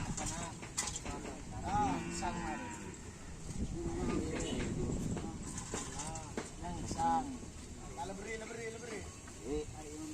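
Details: Karapan sapi bulls of the Kalisari team during training at the Asemanis field, preparing for a race event; several low, drawn-out lowing calls rise and fall across the clip, mixed with men talking and background crowd noise.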